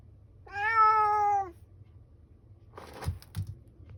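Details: Calico cat giving one clear, drawn-out, level meow lasting about a second, followed by soft rustling and knocking sounds over a low background hum.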